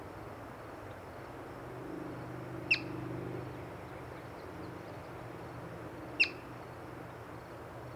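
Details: A yellow-bellied marmot, seen while birding, gives two sharp, high chirps a few seconds apart over a low background rumble.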